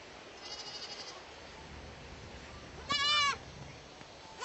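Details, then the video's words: Young goat letting out one short, trembling bleat midway through, with a fainter call at the start and steady background hiss throughout. "BABY GOAT SOUND EFFECT 아기 염소 울음소리 모음 효과음 소리"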